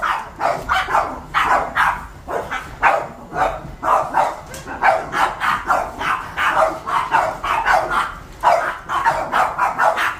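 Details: Seven pet Boston Terriers barking as their home is vacuumed: a dense run of sharp, overlapping barks and yips, roughly three to four a second, with steady rhythm throughout.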